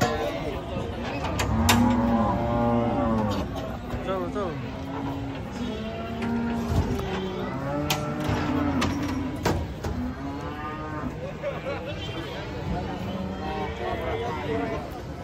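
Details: Cattle unloaded from a truck and reported as agitated: repeated drawn-out, steady-pitched lowing from several animals overlaps, with sharp knocks and clatter throughout.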